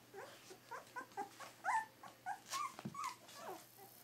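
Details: Pyrenean Shepherd puppies aged three weeks give a tangle of overlapping high whines and squeaks, some arching up and down, uneven and restless, with soft shuffling and a few thumps in the background.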